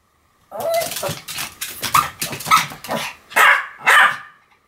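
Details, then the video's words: Two Pomeranians, Sam and Marin, bark in a duet, their shrill yaps overlapping in a continuous burst, about eight barks in under five seconds. "犬の鳴き声 ポメラニアン サム マリン デュエット吠え"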